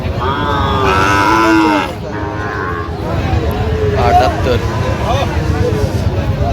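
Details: Sahiwal bull calves at a cattle market in Comilla, Bangladesh: a loud drawn-out moo in the first two seconds, then fainter lowing amid constant crowd chatter, voices and market bustle.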